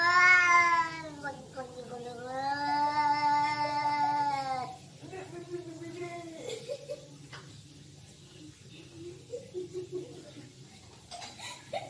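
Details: Two domestic cats, described as brothers, fighting indoors: loud, drawn-out harmonic yowls that waver and bend in pitch for about five seconds, then quieter low moaning tones and scattered scuffling noises.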